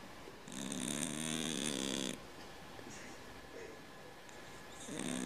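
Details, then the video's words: Cat snoring like a man: one drawn-out rasping inhalation with a vibrating, buzzy tone, followed by a softer quiet breath, then the next snore starting at the end. "Кот храпит как мужик"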